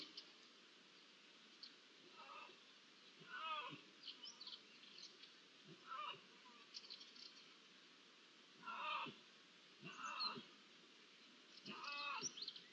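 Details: Iberian lynx meowing, filmed 16-06-23: short nasal meows that drop in pitch, in bursts of one or two every one to three seconds, over a steady hiss of background noise.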